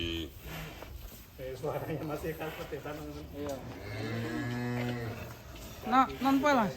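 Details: Indonesian farm cattle of rare colour at Setia Farm moo low and long around the middle, with a brief higher wavering call near the end, amid chatter and music.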